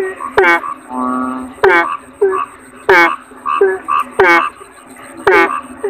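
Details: Kodok bangkong, a toad: short nasal harmonic croaks in uneven bursts, mixed with a longer flat droning tone and sharp clicks, over a steady high electronic whine.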